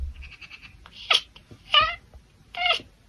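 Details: A tortie Oriental Shorthair cat chatters at birds: a quick run of soft ticking clicks, then three short, nasal, honking chirps about a second apart.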